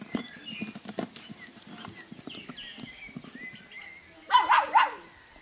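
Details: Golden Retriever puppies in a group whimper with faint wavering whines, then break into a short, loud burst of yelping near the end, with scuffling around them.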